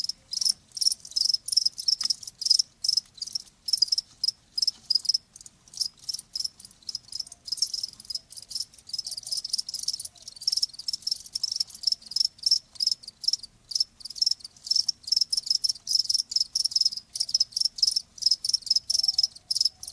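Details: Loud, dense cricket chirping: shrill pulsed trills repeated rhythmically about twice a second, multiple insects overlapping throughout.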